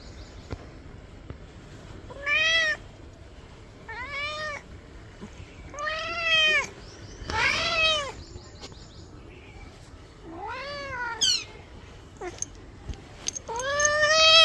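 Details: Domestic cat meowing while being given a bath: a series of arched, harmonic meows, each about half a second long, repeated every one to two seconds, with one brief strained high squeal near the middle and a louder meow at the end.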